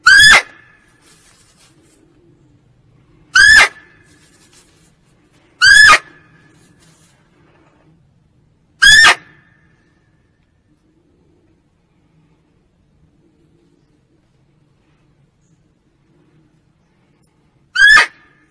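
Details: Lure call of a female barking deer for hunting: five abrupt, ringing barks at uneven intervals, four within nine seconds and then a long silence before the last one. The background is otherwise still.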